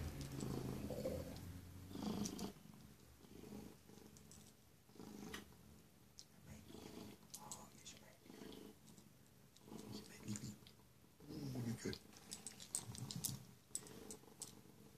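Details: Zlatan, an enthusiastic house cat welcoming its owner back home, gives a steady, rumbling purr in rapid low pulses that swells and fades across the whole stretch, with light rustling close by.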